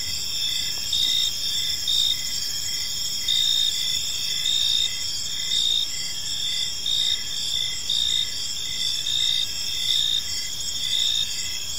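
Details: Gentle evening cricket chorus in a serene park: steady high trill with louder pulsed phrases recurring every second or so, a quiet low rumble in the background.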